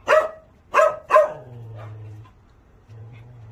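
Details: A dog gives three loud, abrupt barks, the last two close together, followed by a low droning hum and quiet background.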